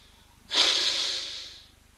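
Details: A white rhinoceros drinking at an African waterhole on 6 November 2024, with red-billed oxpeckers on its back, gives a single breathy snort lasting just over a second that fades out gradually, over a faint background hum.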